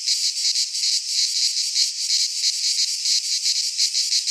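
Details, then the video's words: Greek cicadas in a pine forest at midsummer produce a strident, metallic buzzing wall of sound, beating in quick pulses near three per second without pause. "Cicadas singing in midsummer - Nature sounds from the Greek fauna - Sounds of cicadas"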